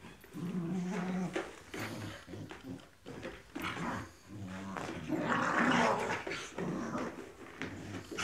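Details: Tibetan Terriers growling in low, rumbling bursts, with sharper, higher yelping sounds around the middle, over an unsteady background.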